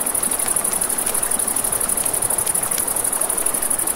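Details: Crickets at night beside a river, a steady high shimmering trill pulsing rapidly without pause, layered over the broad rush of flowing water and sharp pops of a crackling campfire.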